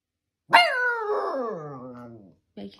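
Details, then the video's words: Siberian Husky giving a sharp, bark-like onset that trails into a long, wavering, descending yowl, then a brief second sound at the end. "konuşan husky videoları (sibirya kurdu)"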